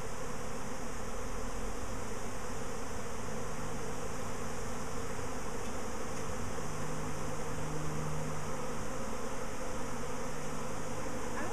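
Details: Honey bees swarming again a week after an earlier swarm, a dense steady low buzzing drone from many bees with faint tonal hums throughout, no clear voices.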